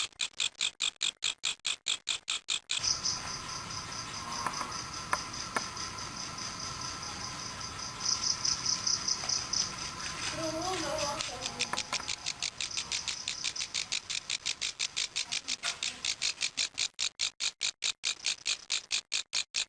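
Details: Grasshopper making noise: sharp, loud, evenly spaced rasping pulses, roughly two per second, open and close the recording, while the middle stretch is masked by rustling, handling noise and a steady high whine.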